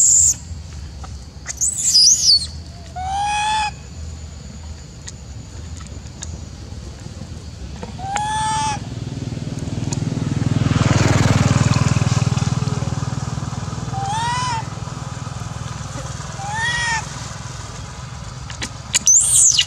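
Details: Macaque named Elpida, seemingly upset and jealous as the old female Susie gets fed, utters spaced harmonic coos, each sliding up then down, plus a shrill squeal at start and end; a vehicle rumbles past midway.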